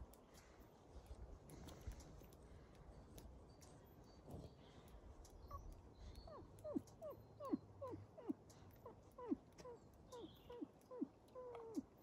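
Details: Wolves kept at the zoo in Järvsö, Sweden, outside a hotel, giving a run of short whining yips that slide sharply downward, packed close together in the second half over a low steady rumble of background noise.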